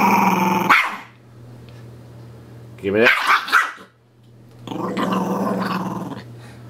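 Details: Pet puppy playing with a dolphin pillow toy indoors, growling then giving a short sharp bark-like outburst, followed by another long throaty growl; a person keeps saying "give me that" between sounds.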